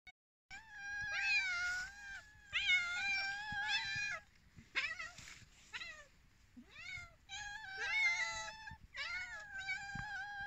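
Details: Many cats waiting for food, a chorus of overlapping meows: long, wavering tonal calls in bursts of one to two seconds, several voices at once, with short gaps between clusters.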